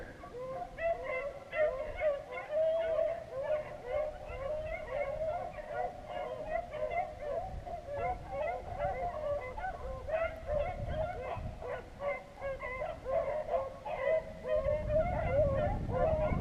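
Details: Beagles running rabbits near Vera, Virginia, after about six hours of hunting. Many hounds bay at once in quick, uneven bursts of ringing notes, rising and falling in loudness as the pack moves, with a low rumble near the end.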